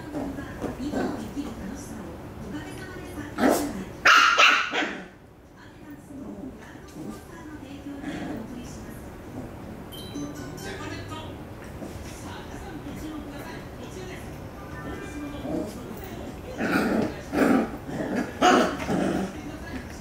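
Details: Puppy fighting a toy it can no longer reach, giving bursts of short yapping barks and growly whines, loudest near four seconds and again toward the end, with rustling and knocking between.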